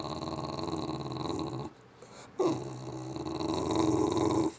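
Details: An English bulldog makes crazy Wookiee-like noises, long, rumbling, throaty growl-moans broken by a brief pause.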